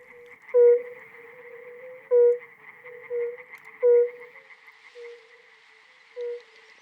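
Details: Fire-bellied toad, only a few centimetres long, calling on a spring evening in Europe while inflating itself; its call carries about a kilometre. Mellow, hollow single 'oop' notes repeat every one to two seconds over a steady high chorus of other frogs.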